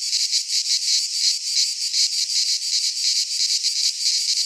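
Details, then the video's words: Midsummer cicada song from Greek pine woods: a loud, shrill, sustained buzz rising and falling in quick throbbing waves, about three per second, with no other animals or noise. "Cicadas singing in midsummer - Nature sounds from the Greek fauna - Sounds of cicadas"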